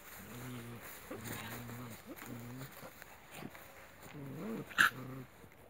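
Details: Alaskan Malamute puppies with their mother, described as happy; short harmonic whimpers and whines repeated through the clip, with some faint background sounds.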